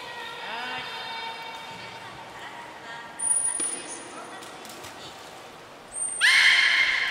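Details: At Port of Nagoya Public Aquarium, belugas Gray and Mirai in training, 22 August 2022, give long harmonic tonal calls that fade, then a loud rich squealing burst near the end, with a sustained high trainer's whistle between.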